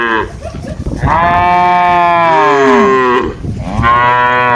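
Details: Cattle grazing freely in a wide plantation among trees and green grass, calling while feeding and interacting; long loud harmonic moos, one sliding down in pitch, then another starting near the end.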